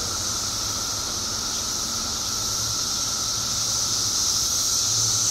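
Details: Mass chorus of periodical cicadas in Illinois, emerging by the billions after 17 years underground. A dense, unvarying buzzing drone with a sizzling high hiss that swells slightly toward the end.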